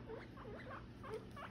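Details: Domestic guinea pigs, a father and son chasing each other, give short rising squeaks, several in quick succession within a second and a half, over a low steady hum.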